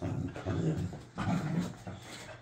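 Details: Young dog, seven months old, practising its vocals in a backyard; three sharp, high barks, two close together then a third after a pause of about half a second, with faint background hum.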